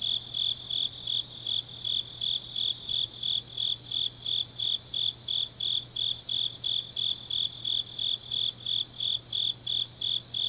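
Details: Grass insects calling through a deep autumn night in Changnyeong, Korea: rapid high-pitched chirps in a regular, slightly uneven rhythm, close to three pulses each second, above a low constant hum.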